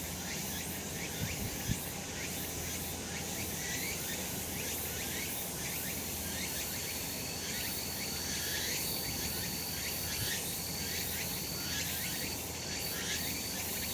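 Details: Summer mountain cicadas in a sunny spot: a loud, dense buzzing chorus with rapid rhythmic pulsing and upward swoops. A thin steady whine runs through the upper range over a low background hum.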